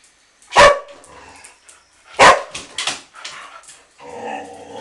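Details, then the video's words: Two dogs playing indoors in an office at a dog resort in Phuket, Thailand; two sharp, loud barks about one and a half seconds apart, then softer yips and a whining, vocal tail. "Coco and Som playing in the office"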